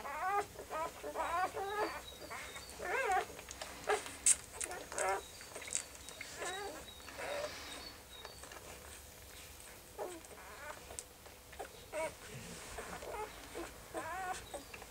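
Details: Several puppies give high, wavering whines and squeals that rise and fall, overlapping in dense bursts for most of the stretch, with short quiet gaps and faint rustling between.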